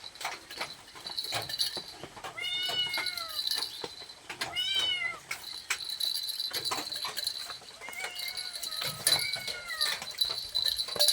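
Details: Cat begging for food with a run of quick, insistent meows, some clipped and some longer and falling, over a high steady hiss and clicking sounds.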